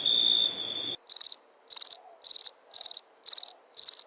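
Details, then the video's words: A cricket calling at night: after a second of steady high whine, crisp chirps of about five rapid pulses each, repeated roughly twice per second against silence. "Night ambience cricket sounds"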